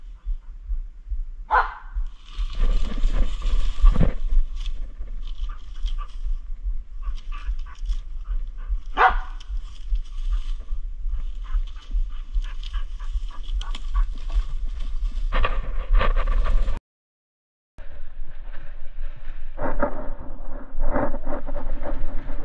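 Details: A Kai Ken working alone as a hunting dog to draw a wild boar out of ferns: a few sharp, ringing barks scattered through steady rustling and low rumbling, with a brief silent break near the end.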